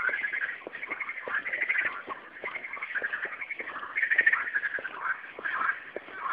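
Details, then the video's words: Frogs singing at night in a dense chorus, overlapping croaking trills with steady pulsed notes repeating about twice a second beneath them. "Singing frogs"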